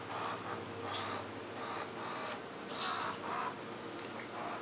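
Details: Jasper, a seven-week-old pet skunk, recorded in June 2009 crying to be picked up: a steady run of short, squeaky, mid-pitched cries, roughly two each second, over a low constant hum.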